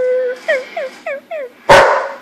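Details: German Shepherd dog burping: four short, descending, whine-like tonal notes, then one loud, broad, rough burst near the end.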